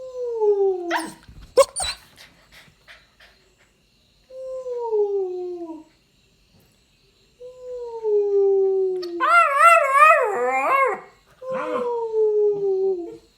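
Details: A 9-week-old Rottweiler puppy howls in drawn-out, clear tones gliding downward while copying its owner's sounds. Midway, one yodel-like howl rises and wobbles before settling back into the falling pattern.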